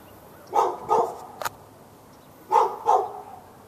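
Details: A dog seen through a fence in Raleigh, North Carolina, barks nonstop at neighbouring dogs, February 15, 2012; two doubled barks, each pair a quick woof-woof, separated by a pause and a single sharp click.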